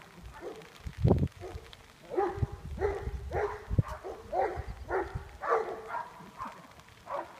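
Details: Nash, a Greater Swiss Mountain Dog training as a junior herd dog, barks while herding outdoors: short, rough barks come in quick runs about every half second, with a few low thumps near the start.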